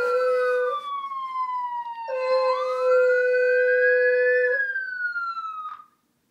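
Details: Beagle named Pepper, a new and normally quiet dog, joins an ambulance siren with a sustained howl that swoops upward then slowly slides down, layered over the siren's steady electronic wail before everything fades out.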